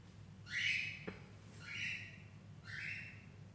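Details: Persian doll face kitten from Gujranwala giving three high, thin meows about a second apart, each sliding upward then holding level, over a steady low hum.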